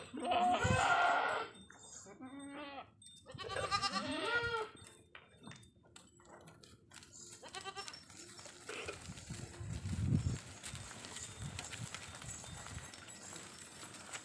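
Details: Two strong quavering goat bleats open the recording on an Indian desi goat farm, then quieter farm noise, rustling and a low thud follow.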